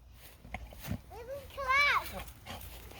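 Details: A Nigerian Dwarf buck acting silly gives a quavering, nasal bleat that rises and falls, with children talking nearby.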